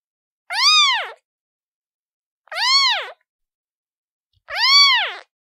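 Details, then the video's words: Kitten mewing steadily: three clear, arching meows roughly two seconds apart, each rising then dropping in pitch with bright harmonics, in an otherwise silent background. "Suara Anak Kucing"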